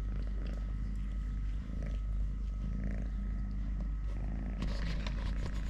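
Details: A continuous deep purr from Totoshka, a three-legged male house cat, holding an even rumbling drone throughout, with faint rustling toward the end.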